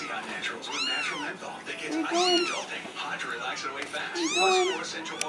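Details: Young kittens calling for their mother after their first separation since their eyes opened; loud arched meows come in two main bursts a couple of seconds apart, with softer cries between.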